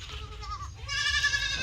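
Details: Farm-kept goat bleating: a softer, lower opening note that dips and breaks off, followed at once by a louder, brighter, quavering bleat with rich harmonics, against low steady rumble.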